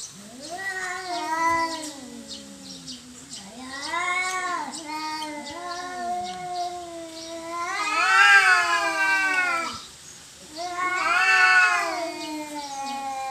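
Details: Domestic cats fighting over territory, ending peacefully: a continuous duel of wailing yowls, sliding and bending in pitch, with loud harsh surges around the middle and again near the end between quieter moaning.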